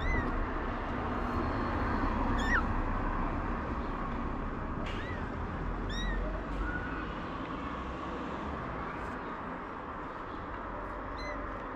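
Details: A stray mother cat in Morocco meows gently, asking for food while her kittens sleep: short, thin, high-pitched meows arching up and down, spaced several seconds apart, over a constant low rumbling background hum.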